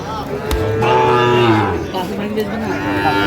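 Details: Sahiwal bull calf mooing at Ambari cattle market, Cumilla, 12 May 2025: a deep, drawn-out low call with a rising, wavering tone over about a second, backed by bargaining voices and busy market noise.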